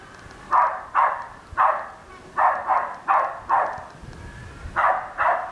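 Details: Westie dog barking at an R2 robot, roughly ten clipped barks coming in quick pairs and short runs, separated by brief gaps, over quiet low rumbling noise.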